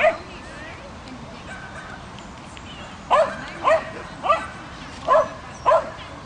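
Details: Swedish Vallhund Ronja, a female dog doing agility after two months of training, gives five quick high barks in the second half, roughly every half second, following a quieter opening with faint background noise.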